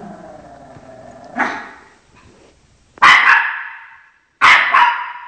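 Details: Chocolate, a Shih Tzu, guarding its home territory from dogs on the TV; faint television sounds beneath, one softer bark, then two hard, bright barks about a second and a half apart.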